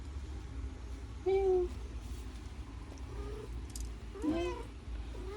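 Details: Mother house cat, after giving birth to her fourth litter, meows several times: a short level call, then a louder rising-and-falling meow and softer ones after it, over a steady low hum.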